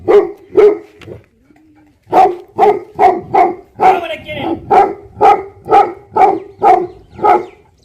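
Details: Tibetan Mastiff, a livestock guardian dog breed known in Nepal as Bhote Kukur, barking in a steady run of about a dozen deep, resonant woofs roughly every half second, after a short pause following the first few.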